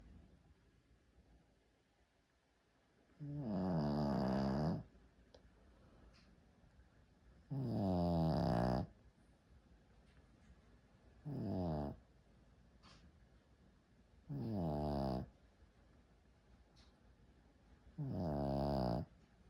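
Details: Shih Tzu snoring indoors in a small room: six rough, harmonic-rich snores, each about a second long, arriving every two to four seconds with quiet breathing between them; no other sounds.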